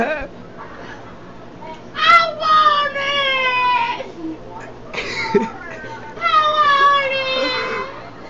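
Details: A talking dog gives long, drawn-out whining wails, each slightly falling in pitch and rich in overtones, two main bouts split by a short gap with a brief yelp, while people talk quietly nearby.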